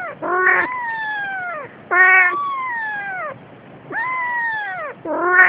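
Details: A Siamese cat, carrying its kitten, utters three long, slowly falling meows, each strongly harmonic and separated by short pauses, with a clipped fourth call starting at the end.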